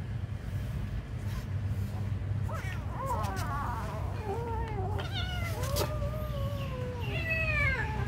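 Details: Kitten meowing while being given food: a run of about six high, thin mews from the halfway point on, each rising then sliding down, some overlapping, over a steady low rumble with scattered clicks and taps.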